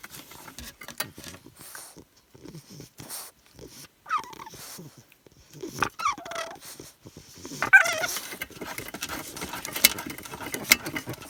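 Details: A 13-week-old English Bulldog puppy going wild with spent-up energy snuffles and grunts, then lets out three drawn-out squealing whines that bend downward in pitch, over steady rustling and scraping nearby.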